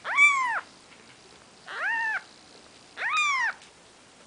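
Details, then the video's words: Four-day-old Maine Coon kittens with their mother Nikita: high arched mews, each about half a second, coming roughly every second and a half indoors. "Maine Coon Kitten"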